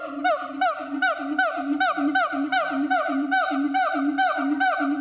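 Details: Siamang in Chiba Zoological Park, Japan, repeating ringing whoops that each drop sharply in pitch, about two and a half per second, riding on a continuous low humming tone.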